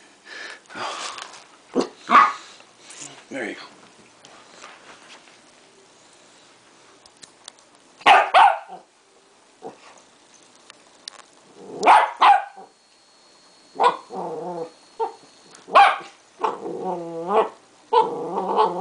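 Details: Indoor play session of Duke, a 3.5-month-old Westie puppy, with tape, later joined by five-year-old Daisy; scattered high barks at intervals, then a run of wavering yips and whines, with people talking now and then.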